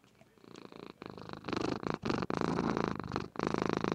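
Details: Female house cat purring while asleep indoors, recorded on a webcam: a steady rasping purr of fast rhythmic pulses, with loudness swelling and dropping between breaths and brief gaps.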